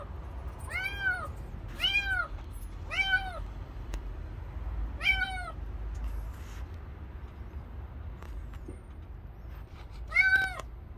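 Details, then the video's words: Stray kitten found outdoors by following its crying: five loud, arching meows in the first half, each rising then falling, followed by a quiet gap and one last meow near the end, over a low background rumble. "새끼 고양이 물음소리나는곳에 가보니"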